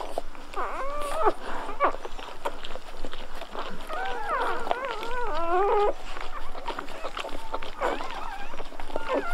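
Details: Golden Retriever puppies at birth, faint squeaky whimpers rising and falling in short clusters over a busy background with soft rustling and low murmurs.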